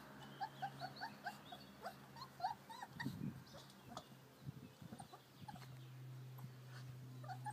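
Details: American Akita puppies playing in their garden enclosure on a fine day outdoors; soft, high whimpering yips in quick arched bursts, several overlapping, with low scuffling thumps and a steady low hum behind.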